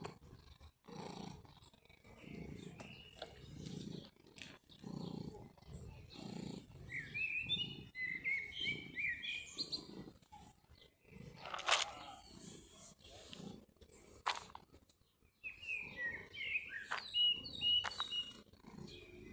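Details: Mjaullo, a cat met again in summer after a year apart, purring in low rhythmic pulses about every three quarters of a second, while small birds chirp and twitter in higher bursts over the middle and end.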